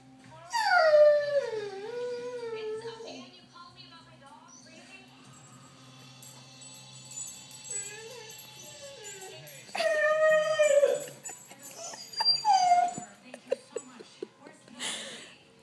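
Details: A one-year-old female Doberman whines on a porch, wanting to go after a lizard she has seen: long high wavering whimpers that slide downward, in two main bursts with short squeaks between, while a woman talks to her.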